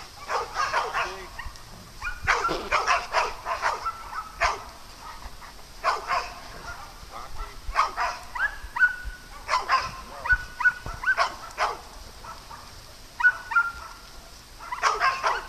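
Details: Playful farm dogs bark in quick clusters of sharp yaps, pauses between bursts, with a faint sustained whistling tone threaded through and soft outdoor ambience.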